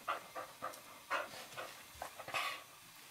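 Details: Eurohound puppy Firenza, about 11 weeks old, and Brio, a 4.5-year-old Nova Scotia Duck Tolling Retriever, play wrestling indoors on a kitchen floor; rapid breathy panting puffs repeat roughly every quarter second in a small room.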